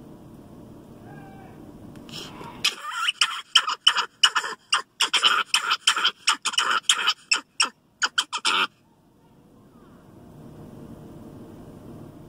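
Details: Louie Ray, a 16-year-old captive Capuchin Monkey newly living on a farm, yells in warning at big cows: a run of about twenty sharp, harsh, high-pitched calls in rapid bursts over six seconds, with quiet background before and after.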